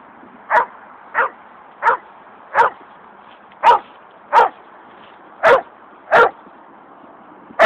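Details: Dobermans, angry, attacking a coyote, barking steadily: loud single barks repeated roughly every 0.6 to 0.7 seconds, each short and harsh, with quiet gaps between.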